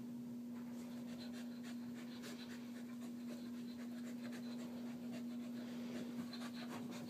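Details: Female Wheaten Terrier named Harley panting during her morning exercise session: soft, breathy, rapid puffs, about ninety-seven per minute and somewhat uneven, over a constant low hum in a small room.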